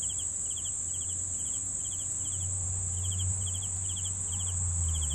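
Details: Cricket chirps for sleep: rapid pulsed chirps repeating around two or three times a second over a steady high trill, with a noticeable low droning hum swelling in the background.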